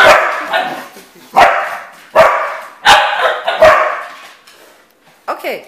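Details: Dogs in the morning barking in a steady series of loud harsh barks about every second, with a person talking excitedly to them.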